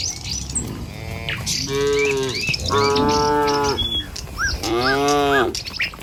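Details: Dozens of tame village cattle walking a rural road toward their pen give three drawn-out, deep, harmonic moos, each lasting about a second, with scattered birdsong in the background.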